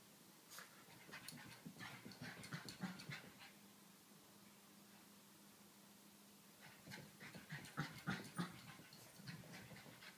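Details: Female Pekingese puppy, seven months old, spinning after her tail, gives bursts of fast breathy panting and snorts. A quiet stretch in the middle has only a faint low hum, then the huffing returns.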